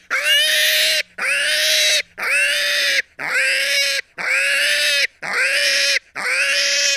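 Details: A pig screams in long, harsh, high squeals, each lasting close to a second, repeated regularly about once per second with short pauses and no other sounds.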